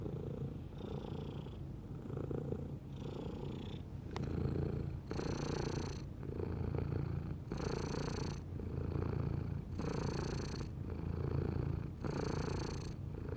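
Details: Domestic cat purring in a deep, throbbing rumble, breath cycles about every second and a half, growing louder and breathier in the later half.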